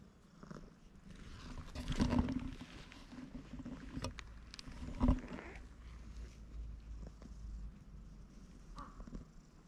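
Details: Stray cat that had been perched on a handrail comes down to the ground to be petted more, giving a low continuous purr under rustling and touch noises, with a few louder bumps.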